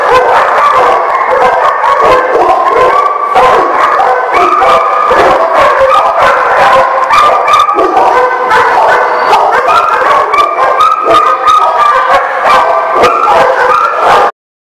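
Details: Crowd of dogs in nonstop loud barking and howling, rapid overlapping barks mixed with higher yips and longer wavering howls, ending abruptly.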